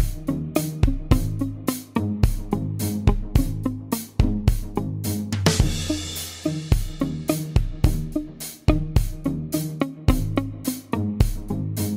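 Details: Upbeat instrumental music with a steady drum-kit beat, bass drum, hi-hat and guitar, a cymbal wash near the middle.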